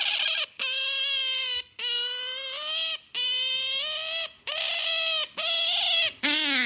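An otter gives a run of long, strained, high-pitched squeals, each about a second, with short pauses between. The last ones dip and rise in pitch.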